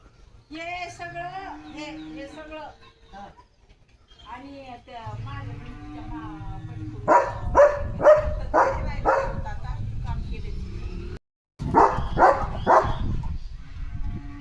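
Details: Leo, a German Shepherd, excited over a surprise chicken chips treat: people talking in Marathi fill the first half, then a run of loud, sharp barks at roughly two per second, briefly cut off, then resuming.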